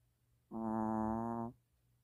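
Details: Long-haired Chihuahua Mina asleep, letting out a single steady, reedy snore lasting about one second, evenly pitched throughout, against a faint low hum.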